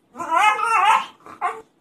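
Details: A female Staffordshire Bull Terrier, excited at being asked about going for walkies, gives a wavering, yodel-like whine followed by two short yips. Identified as a Staffordshire Bull Terrier.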